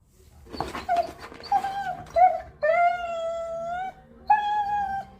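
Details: Beagle whimpering in short, bending whines that build into a steady, sustained howl lasting over a second, followed by one more shorter howl.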